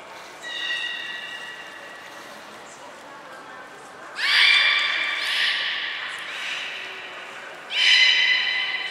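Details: Beluga training with Nana, Mirai and Niko at Port of Nagoya Public Aquarium: a soft steady harmonic tone, then two loud whistles that sweep up at the onset and level off, the second answered by a shorter call, over a reverberant indoor hum.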